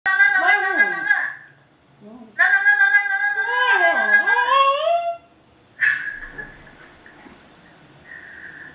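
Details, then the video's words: Dog howling indoors at a webcam: long harmonic wavering howls, two sustained bouts of a few seconds each that slide down and rise again, then a shorter higher cry trailing off. "Dog howling to webcam"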